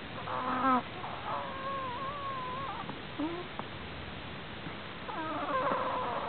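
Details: Prairie dog asleep and snoring strangely, giving thin, wavering whines that dip and rise over about a second each, with a short squeak between them and a softer burst of similar tones near the end.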